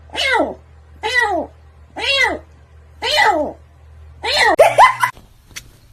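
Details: Domestic cat giving five drawn-out, arching meows, about one per second with short quiet gaps between, the last two running together, followed by a faint tap.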